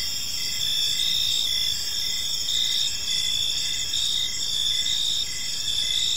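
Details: Crickets in a park at evening give a thick, shrill chorus; regular short chirps pulse through a continuous high buzz, steady in loudness throughout.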